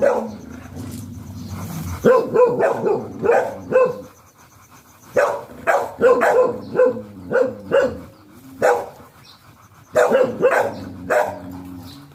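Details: Golden retriever at a stud (mating) session in Sta. Barbara, Pangasinan, barking in sharp, punchy bursts: tight clusters of several barks broken by short pauses, roughly a dozen in all, over a quiet background.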